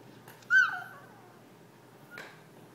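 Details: Pet yorkie Jack, begging his family to play, lets out one sharp, high whine that bends downward and trails off, then a fainter short squeak about a second and a half later.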